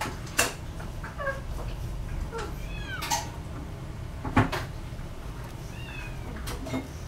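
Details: Scottish Fold cat offered at a pet shop giving several short, thin meows that slide downward in pitch, mixed with sharp clicks and knocks like a cupboard door.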